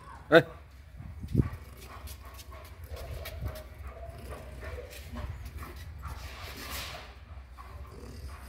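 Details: German Shepherd. A German Shepherd lets out one sharp, harmonic-rich bark, then a deeper, muffled woof a second later, warning off intruders from its territory. A low background murmur continues after the barks.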